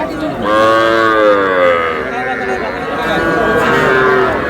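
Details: Calf moo at a Bangladeshi cattle market where a Faridpur farmer buys little bulls and heifer calves in mid-May: a loud, long, wavering bellow opens, followed by a softer second lowing, with faint chatter from the crowd behind.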